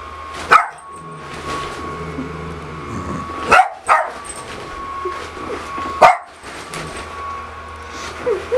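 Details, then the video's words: A female pet dog barks at her owner in a Pikachu costume, a handful of loud, uneven barks with gaps of one to two seconds, against a faint continuous hum. "Dog barking at Pikachu"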